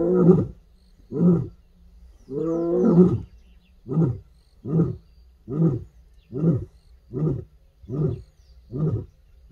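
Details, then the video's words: An African lioness, wild in a reserve, roars during a game drive. Two short grunts are followed by a longer, drawn-out gravelly moan, then a steady run of about seven deep grunting pulses, each under a second apart. "Listen to the Roar of a Lioness"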